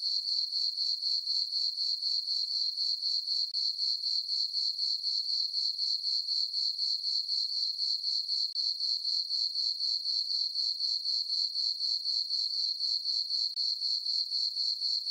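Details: Several crickets calling through a quiet summer night over a farm meadow beneath a full moon, giving a bright, unbroken high trill with regular throbbing pulses about four each second across the whole stretch.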